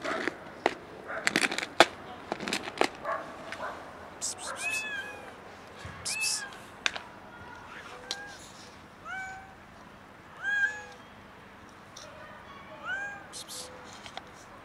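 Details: Hungry kitten meowing outdoors near a cat resting on a car: a run of short, clear, bending meows, several every second or so, mixed with sharp clicks and knocks in the first few seconds.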